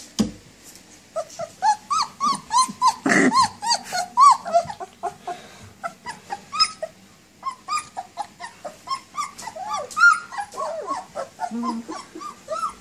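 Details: Puppies indoors making a dense run of short, high, arched whimpers and yelps, several voices overlapping and repeating rapidly, with one louder broadband squeal near the middle and a few low growly bursts.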